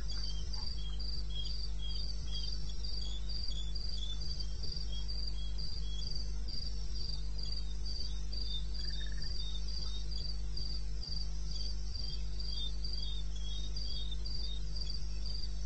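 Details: Crickets in the wilderness of eastern Botswana, recorded 21 May 16 at 2:30 AM: high, short chirps pulsing steadily several times a second, a few rival rhythms overlapping, over a constant low hum, with one faint brief tone near the middle.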